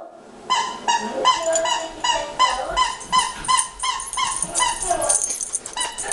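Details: Three pet dogs at home, among them a beagle, barking in reaction to recorded dog barking played to them: rapid sharp high yips and barks, about 160 a minute, overlapping and irregular.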